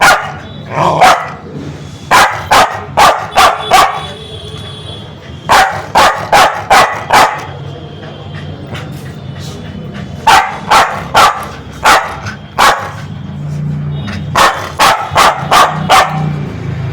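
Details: Angry, aggressive Spitz dog giving rapid bursts of sharp, loud barks, three to five barks per burst with short pauses between, over a faint low hum.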